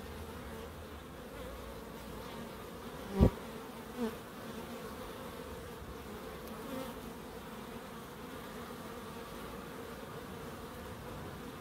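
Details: Low droning buzz of bees in a small Crookes wildlife garden, interrupted by a sharp knock and a second fainter bump early on before the even hum resumes.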